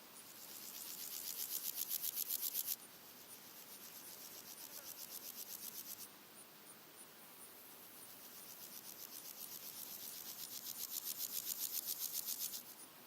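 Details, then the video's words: Three red-legged grasshoppers singing in daytime, early August: loud rasping pulse trains lasting several seconds, alternating with quieter distant rasping, a high ticking insect in the background and soft wind. "Red-legged grasshoppers singing with other background insects and birds"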